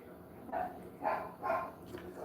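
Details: Domestic dog barking from another bedroom at a neighbour's cat that walked across the road: three short, fairly soft barks about half a second apart, heard indoors at a distance.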